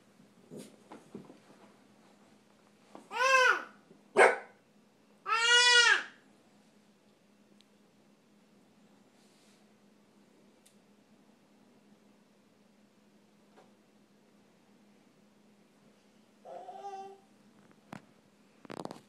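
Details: Puppy Honey facing off with a baby in a small room; three loud, high barks around the middle, the last drawn out and wavering, a softer yip near the end, with light shuffling and a steady low hum.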